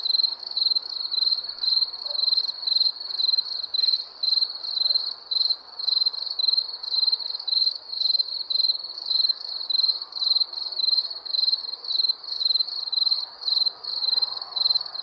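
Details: Steady chorus of wild crickets: bright, high-pitched trilled chirps come in an unbroken run of short bursts, about two each second, with nearly even loudness throughout.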